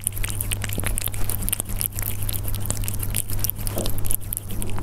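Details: Close-up of Persian cats at their food, giving irregular sharp crunches and chewing clicks throughout, some louder bites standing out, with a constant low hum underneath.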